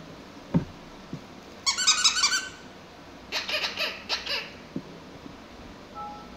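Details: Six-week-old Pomsky puppies at play indoors: a quick run of high, squeaky yelps with stacked overtones, then a second burst of rasping squeals after a short pause, with soft knocks and thumps in a quiet room.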